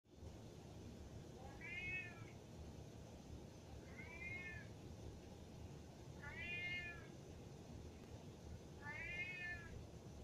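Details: Indoor domestic cat crying to be let upstairs, yelling at its owner: four drawn-out harmonic meows spaced about two and a half seconds apart, each slightly rising then falling, over low steady room hum.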